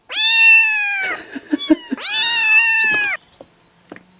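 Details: Kittens meowing at the same time: two long, loud, drawn-out meows, each lasting about a second, holding a steady pitch before dropping at the end, with soft clicks and thumps in the short gap between them.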